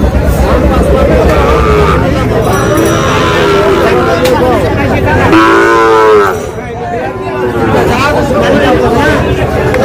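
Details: Sahiwal bull calves for sale at a Dhaka cattle market, Bangladesh, 8 July; a long, strong moo swells near the end amid busy market talk, haggling voices and background hubbub.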